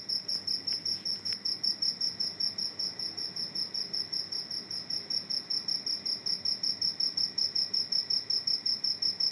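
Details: A cricket that has come inside a house chirps steadily: a high, pure trill repeated about two to three times per second in an even, unbroken series, with a few faint clicks early on.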